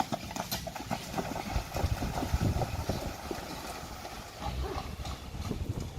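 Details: Two Friesian horses trotting through water while pulling a carriage, recorded June 29, 2019; dense, irregular clopping hoofbeats mixed with splashing and broadband rushing water, with a low rumble throughout.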